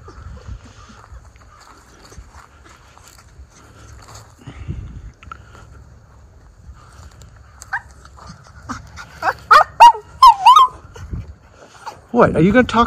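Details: Two Miniature Schnauzer brothers running off leash outdoors in spring after the snow has melted, Aroostook County, Maine, April 18, 2024; after a quiet stretch, a burst of sharp, high yips and short barks comes in quick succession near the end.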